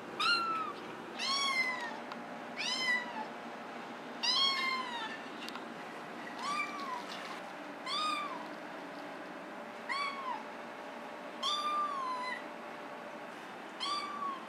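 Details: Maine Coon cat Molly, shown from kitten to adult, gives about nine high, arching meows with bright harmonics, spaced roughly every one to two seconds over a quiet indoor background.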